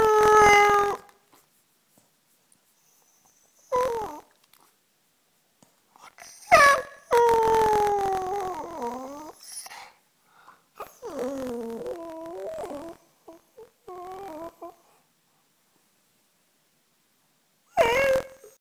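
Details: Talking dog giving a string of short yelps and longer howling, talking-like vocalizations that bend up and down in pitch, separated by pauses, one drawn-out warbling howl in the middle, indoors.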